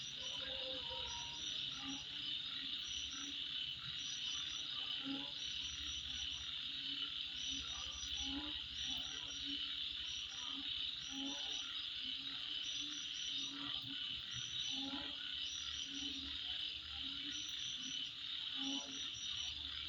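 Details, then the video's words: Nighttime insect sounds at midnight: a thick, persistent high-pitched trilling drone, busy with repeated sharp chirps and a series of lower pulsing calls spaced a second or two apart. "Sound Of Insect At Midnight"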